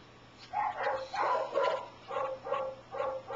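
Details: Pet dog Wasabi gives weird barking in response to weird sounds, head tilted: a quick run of short, rough, moaning yelps, about six in three seconds, indoors.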